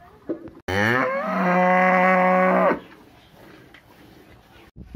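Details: A village cow gives one long, loud moo that starts low, swells, and holds steady for about two seconds.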